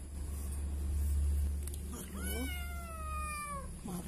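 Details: Frightened kitten crying after being found behind a door. One long, loud, drawn-out meow slowly falls in pitch, with a strong low rumble underneath and a woman's voice before it.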